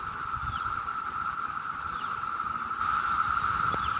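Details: Mass emergence of 17-year cicadas in Maryland on a summer day: the constant droning chorus rises slightly louder near the end, with a single sharp click and faint outdoor background noise.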